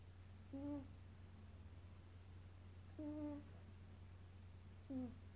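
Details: Maine Coon cat named Leroy snores with three brief voiced, harmonic-rich snorts spaced roughly two seconds apart, with a constant low hum in the room.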